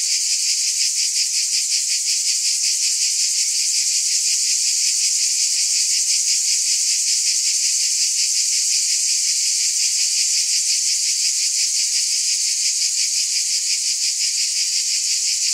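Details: Dense wall of cicada buzzing, high and sizzling, beating in fast regular pulses and holding the same level throughout; no other sounds come through.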